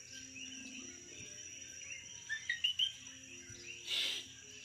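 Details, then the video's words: Insects at night on St Thomas, Virgin Islands, keep up a high steady buzz and soft chirping; a few brighter chirps sound near the middle, followed by a short broad noise burst. "Nighttime insect chatter on St Thomas, Virgin Islands"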